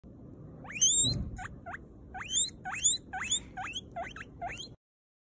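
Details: Guinea pig, a domestic cavy, giving a series of shrill rising whistles, each sweeping sharply upward then leveling, about ten calls in under five seconds, with soft rustling underneath.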